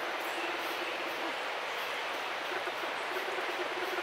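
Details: Humming from an orphaned bear cub bonded to a human as if to its mother. Fast, low, throaty pulses come in two bursts with a short pause between them, over steady heavy background hiss.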